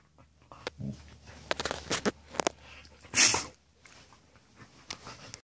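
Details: Two Samoyed dogs at play before bed: scattered sharp clicks and scuffles, then one loud, hissing, sneeze-like burst just past three seconds, followed by softer rustling over a low indoor hum.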